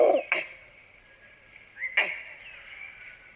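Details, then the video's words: A large troop of gray langurs on rocks near Black Hill, Jawai, gives repeated harsh, explosive alarm barks, signalling a nearby predator, believed to be a leopard. "आसपास कोई शिकारी जानवर होने पर लंगूर अलर्ट कॉलिंग करते हैं। हो ना हो यह पक्का लेपर्ड ही है।"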